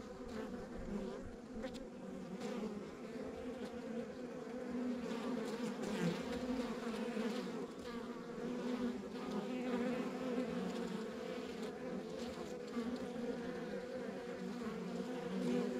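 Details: Long stretch of honey bee buzzing at a rural backyard beehive: a constant layered drone from many bees, slightly louder in the second half, with flickering higher tones over the hum.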